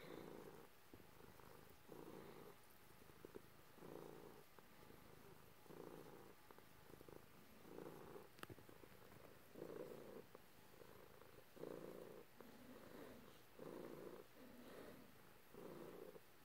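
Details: Domestic cat purring while being petted by its owner, one of two cats present indoors. Soft, low rumbling purr pulsing steadily with each breath, roughly one pulse per second throughout, with faint handling rustles.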